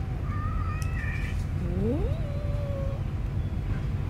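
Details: Newborn stray kittens in a homeless person's bedding, one drawn-out meow rising then held steady for about a second, with faint higher mews earlier, over a constant low rumble of traffic or engine noise.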